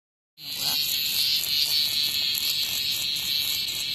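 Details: Cicada outside a house front, under attack by a hornet; a loud, steady, shrill buzz high in pitch sets in abruptly after a short silence and holds without a break.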